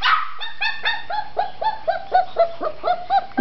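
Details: A red tri-colored female Australian Shepherd puppy who wants out of her enclosure gives rapid, bright, yappy barks, about four each second, each with a quick downward bend.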